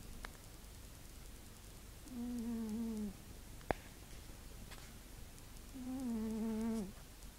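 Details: Pet cat Spanky, dead asleep indoors, gives two drawn-out, hum-like snores about a second long, each sliding gently downward in pitch, separated by a quiet pause broken by a single sharp click.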